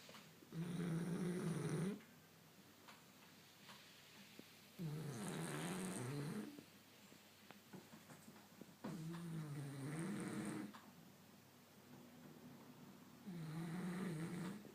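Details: A French Bulldog snores in low, rattling bursts during a daytime nap, each breath lasting about two seconds.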